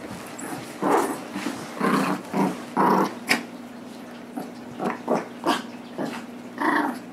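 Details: Two pet dogs play tug of war: Nibbler, a 9-month-old blue Doberman Pinscher, and Biscuit, a 6 lb Shih Tzu–Yorkie cross. Repeated rasping growls, some long and some clipped, are broken by brief snarls and pauses.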